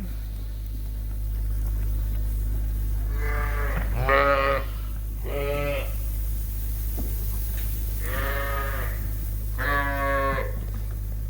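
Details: Suffolk lambs in a barn after groups got mixed through an open gate, now with 140 ft to run: five short bleats spaced over several seconds amid a loud, steady low machine hum.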